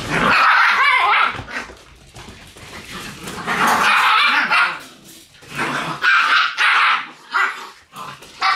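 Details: Shiba Inu puppies in their puppy room on October 6, yapping in high, rough bursts of several quick barks, with short lulls between bursts and more scattered yips toward the end.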